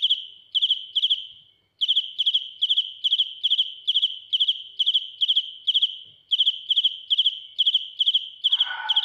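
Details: Cricket filmed up close, chirping ear-piercingly loud: high, buzzy pulse groups repeated roughly twice a second, briefly interrupted before two seconds and again near six; a rustling, broader noise joins at the end.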